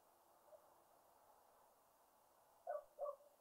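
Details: Wahlberg's epauletted fruit bat at a feeder in a suburban garden in Pretoria, South Africa, gives two short, hollow, hooting pings about a third of a second apart after a long stretch of quiet background hiss.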